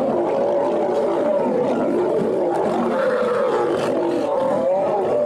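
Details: Female lion mercilessly attacking and biting a male lion: continuous loud, harsh snarling roars with a wavering tone, unbroken for over five seconds, and growls layered over one another.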